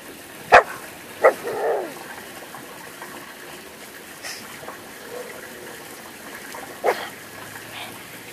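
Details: Dog chewing gum lets out a sharp bark, then a second bark with a rougher tail a moment later, followed by a long quiet stretch with faint scattered noises.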